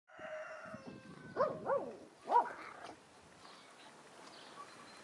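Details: Australian Terrier puppies at the Yakogor kennel, recorded 9 April 2015, give three short arched whimpers in quick succession, each rising then falling, after a quiet stretch of faint steady background tones.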